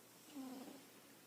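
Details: A house cat asleep gives one short snore, a low steady hum lasting about a quarter second that trails into a breathy exhale, in a quiet room.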